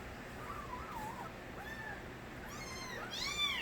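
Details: Kittens of the mother cat Nabi, from a stray cat family, crying. Faint, wavering mews come first, then a burst of high, arched, harmonic-rich meows near the end over a steady background hiss.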